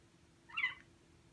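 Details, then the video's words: Ragdoll kitten, six months old, kept indoors, which climbs in front of the screen while the owner works at the keyboard, gives a single brief, bright meow that lasts under half a second, against a quiet indoor background. "[Ragdoll cat] 강아지인 줄.. 犬かいニャ~(랙돌 생후 6개월)"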